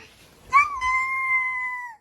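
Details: A Maltese dog talks back over a cookie with one long, steady, nasal whine that holds its pitch for over a second before dipping slightly at the end, following a brief soft rustle.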